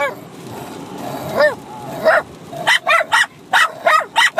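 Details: Bichon Frise dogs, a 6-month-old puppy and an older dog, barking at each other while fighting and playing indoors; a few soft whines, then a run of sharp high yappy barks in quick succession.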